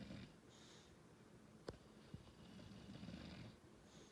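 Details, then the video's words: English Bulldog snoring indoors: low rumbling inhalations with breathy hiss on the exhale, interrupted by two sharp clicks near the middle. "English Bulldog snoring"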